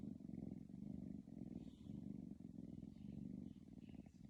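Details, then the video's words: Sleeping kitty snoring: low rumbling breaths in long swells of about a second each, rising and falling steadily, with a soft purr-like buzz throughout and faint room hiss. "Snoring kitty"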